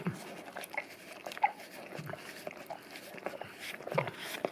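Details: English cream golden retriever, male, licking a peanut-butter-coated tongue-cleaning brush taped to a tile floor indoors; wet slurping and clicking tongue smacks in irregular quick bursts, with faint room noise.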